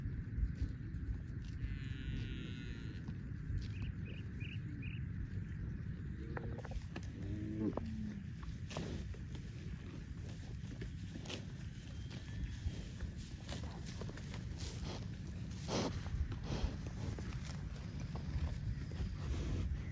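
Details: Tame cattle from a large herd running in green rice fields on a farm give brief mooing calls near the middle, while chirping birds and constant low rumbling noise fill the field.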